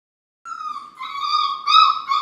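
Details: A litter of seven Labrador puppies on a messy morning before breakfast, snarling, playing and barking: one gives a drawn-out, high whining yelp that wavers in pitch and swells near the end.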